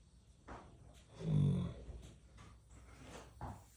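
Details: Snoring horse giving one deep, low, rough rumble, with soft breathy sounds before and after.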